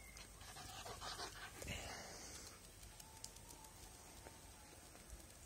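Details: An 8-month-old Podenco pants in quick, breathy huffs, about two per second, against quiet outdoor background noise.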